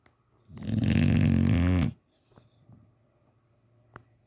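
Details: Teddy, a sleeping English Bulldog, snoring his head off: one long, loud, rasping snore of about one and a half seconds, deep and rumbling, followed by quiet breathing and a few faint clicks.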